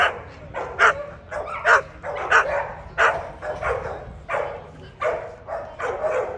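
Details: At the 2024 ADBA Tristate conformation show for American Pit Bull Terriers, 12–18 month females, a dog barks steadily in quick, uneven bursts, about ten barks across several seconds, with indoor hall hum behind.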